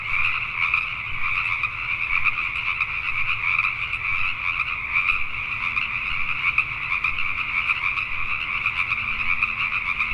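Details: Pacific tree frogs at night, Richmond, British Columbia, Canada: a crowded chorus of overlapping croaking calls that flickers in rapid pulses and never stops, with a soft low hum beneath.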